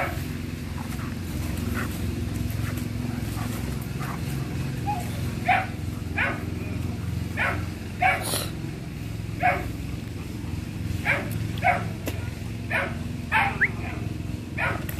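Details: A pair of German Shepherds, one male and one female, bark in short, sharp bursts over a steady low rumble.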